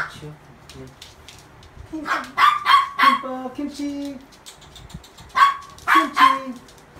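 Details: Newly adopted toy poodle indoors, 24 August 2018, barking when water flows down the pipes: two bursts of sharp, high yappy barks, about four then three, separated by a quiet pause, with people talking softly in the room.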